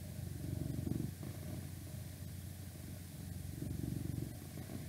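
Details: Pet cat purring up close, for an ASMR request recording: a deep, fluttering rumble that swells twice, at the start and near the end, over a steady hiss of outside noise.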